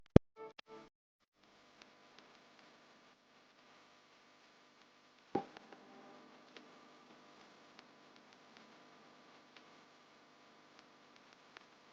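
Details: Quiet indoor room tone with a few clicks and a faint sustained musical hum, and no animal voices.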